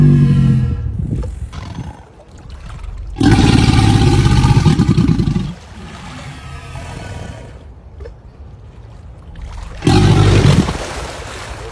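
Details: Two deep alligator bellows, each a growling, throbbing roar of about two seconds, separated by a stretch of quieter low rumbling.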